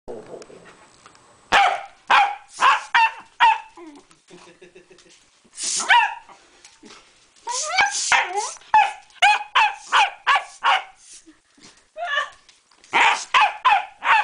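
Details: A Pembroke Welsh corgi attacks a bicycle pump indoors, letting out rapid strings of sharp, high barks and yips in quick bursts, with brief quieter pauses and a few softer grumbling sounds between volleys.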